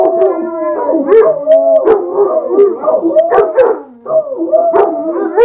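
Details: Three Basset Hounds howl together in long, wavering, overlapping tones, with a few sharp yips mixed in.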